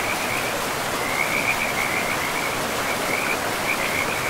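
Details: A pristine forest river with calling frogs: a thin line of high, rattling trills, quieter at first and steadier from the middle on, half buried under a broad, constant rush of water.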